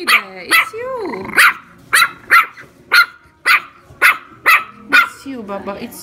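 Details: Small female chihuahua indoors in a shop, confronting her mirror reflections as if other little dogs were attacking; about ten shrill, clipped yaps fire at roughly half-second intervals while a woman speaks softly underneath.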